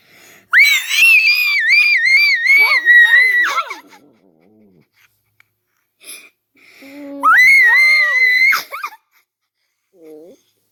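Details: Funny dog sound: long, wavering high-pitched screams that warble up and down, trailing into lower whiny notes, with a quiet gap and a second shrill scream, then a brief soft whimper.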